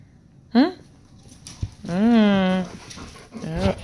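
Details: Dog whining during a Labrador teasing a Dachshund, dogs named Eddie and Nelly: a short rising yelp, then a longer drawn-out whine with a slight wavering fall, and a final brief rising whimper, with quiet background between.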